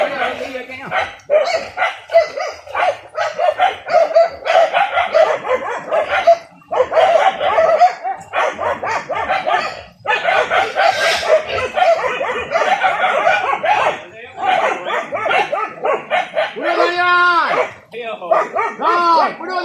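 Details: Pack of village dogs barking hard on a traditional wild boar hunt using dogs and spears: dense, fast barking in long bouts with short gaps, and a few higher yelps near the end.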